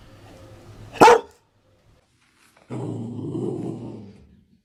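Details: A single sharp, loud bark from a Dalmatian, then after a pause a sustained low, rough growling rumble lasting about a second and a half.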